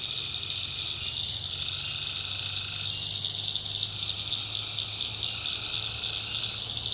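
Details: Nighttime swamp chorus of tree frogs in backwoods North Carolina: a continuous shrill, pulsing wall of high trills, with softer mid-pitched notes rising briefly at times and a constant low rumble underneath.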